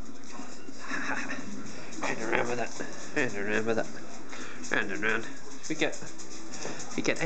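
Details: An 18-month-old male German Shorthaired Pointer, fond of his squeaky ball, gives a string of drawn-out, falling whines and yodel-like groans when asked for a demonstration.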